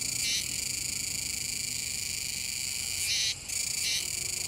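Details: Kuroiwa's cicada chorusing near the Kōme River mouth, Tenjin-machi, Nishinoomote, Tanegashima, Japan, on 7 September 2022: a steady, dense high buzzing drone with two louder swelling bursts and a brief drop near the end.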